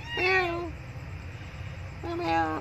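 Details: Abandoned female kitten crying loudly for milk: two clear harmonic meows, the first drawn out and slightly falling, the second after a pause of over a second, with low background hum.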